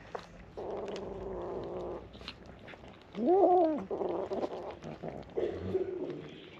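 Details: Abandoned, starving stray kitten waiting to be fed in the morning; a single rising-then-falling meow stands out midway, surrounded by softer sustained tonal murmurs and a human voice.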